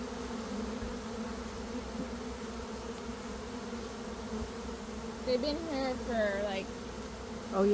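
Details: Swarming honey bees, one of two swarms caught in a day by a beekeeper at the start of May after a dearth. A steady low droning hum holds throughout, with a man's voice breaking in near the end.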